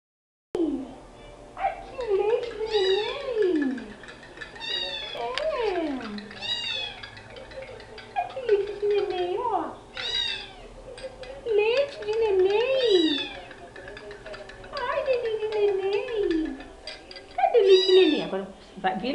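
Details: Rescued female street cat named Cheetara, recently adopted, meowing at the camera indoors: a run of drawn-out falling and wavering meows, several in quick succession, mixed with a woman's coaxing Portuguese speech.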